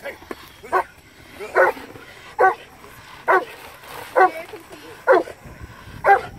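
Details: Legendary's Cane Corso Carmine D'Oro at PSA PDC protection training gives deep, forceful single barks, eight in all, spaced a little under a second apart, over a quiet background with faint low rumble.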